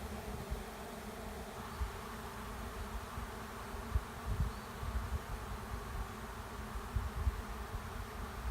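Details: A honey bee swarm entering an empty hive at a driveway's end, heard as a constant low hum of wings with scattered soft low thumps and bumps throughout.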